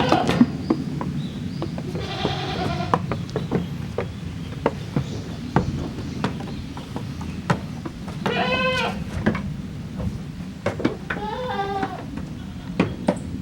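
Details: Goat kids from two teams, the offspring of Koharu and of Okayu, playing in the exercise yard at Yoshigake handmade goat farm on 13 June 2023; three short wavering bleats over steady low rumble and scattered knocks and clatter.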